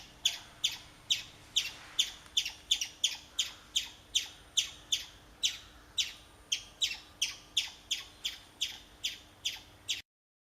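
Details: A urinating chipmunk produces loud, sharp, high chip notes in a quick regular series, about two per second, around twenty in total, then abruptly falls silent at the end.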